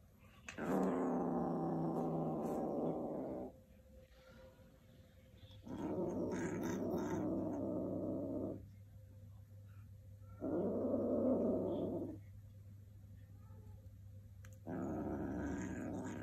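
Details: Two kittens in a contest over a shoelace growl in four long, harsh, throaty bouts of two to three seconds each, separated by quiet pauses, with a steady low hum underneath.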